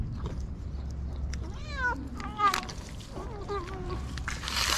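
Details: Hungry white stray cats with blue eyes on a street in Morocco, being fed daily, meow repeatedly: several drawn-out, wavering, slightly rising then falling meows, the last ones stepping downward, over low street rumble and rustling.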